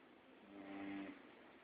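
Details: Sleeping Labrador Max giving a single long snore that swells and fades over about a second, a rough buzzing breath with a steady low hum inside it, room noise around.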